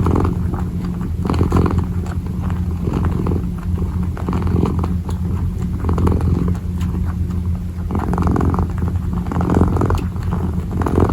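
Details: Kitten purring while kneading: a steady low rumbling hum runs through the whole stretch, with soft rustling bursts from the kneading paws laid over it.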